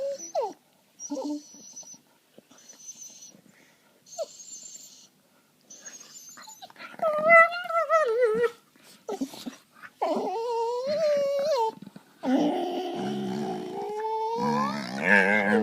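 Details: Two pet dogs wrestle playfully on a couch, gnawing at each other; faint thin squeaks at first, then louder wavering whines and gravelly growling grumbles building toward the end.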